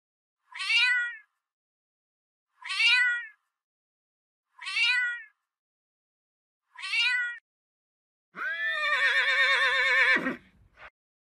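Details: A pet domestic cat that lives in the house: four short, bright meows, each about two seconds apart, then a longer, drawn-out, wavering yowl that ends abruptly, followed by a brief faint sound.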